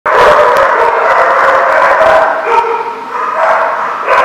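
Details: Dogs barking in a dense, continuous chorus, with overlapping yaps and barks layered without pause and no quiet gaps between them.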